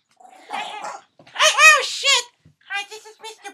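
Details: Schipperke at 6 a.m. snarls and growls in harsh, rising-and-falling bursts, defending a woman's foot from her husband's approaching hand holding a toy.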